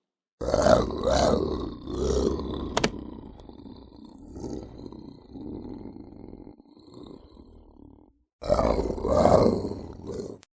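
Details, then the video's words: Lynx giving harsh, raspy growling yowls in loud bursts during the first two seconds, then a lower, quieter rumbling growl that fades out; a brief gap follows before another loud, rough, throaty outburst near the end. "Lynx Voice & Original Sounds"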